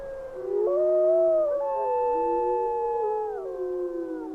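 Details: Several wolves howl together in windy weather, drawn-out mournful tones holding steady then gliding up or down, overlapping into a wavering chorus over a soft background hiss.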